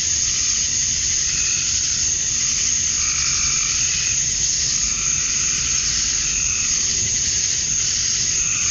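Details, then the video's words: Male cicadas at summer dusk in Georgia, USA, chirping to attract females. A relentless high, hissing drone runs through, with repeated softer warbling swells at a lower pitch coming and going every second or so. "Cicadas at Dusk, Summer Night"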